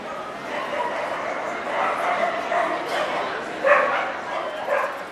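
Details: Welsh Corgi (Cardigan and Pembroke) at the NVP Ostrava dog show, 14 April 2012, indoors: several short, sharp barks and yips spread across the clip over steady hall chatter and human voices.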